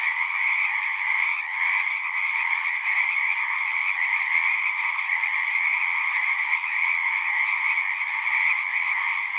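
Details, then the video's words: A dense chorus of singing frogs, many voices overlapping into a constant trilling drone, steady in level from start to finish with no pauses. "One hour of singing frogs."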